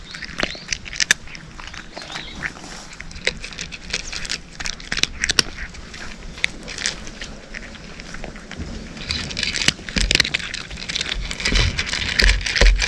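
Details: Cat crunching dry food, eating: rapid irregular dry crackling crunches, several per second, sharper bursts around the middle and a denser flurry of chewing toward the end, over a low background rumble.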